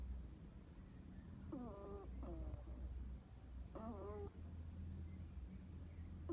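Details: Sleeping pet hedgehog gives quiet snores, three short squeaky wheezing breaths with a faint whistle, separated by pauses, over a low background hum.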